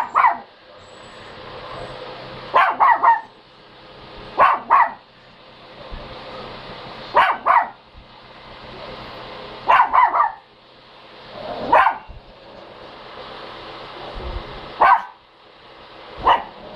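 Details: Dog barking in short bursts of single or doubled barks, about seven bouts spaced two to three seconds apart, over a steady low background hum.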